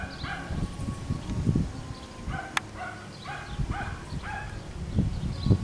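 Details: Schnoodle puppies at play on an Iowa farm, a Miniature Schnauzer and Miniature Poodle mix. A run of bright, short yaps and whiny squeaks sits above dense low thudding and rustling, with one sharp click.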